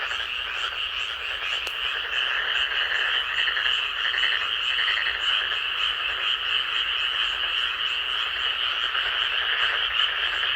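A dense frog chorus of high, rapid, rattling trills pulses continuously, many callers overlapping into a steady wash.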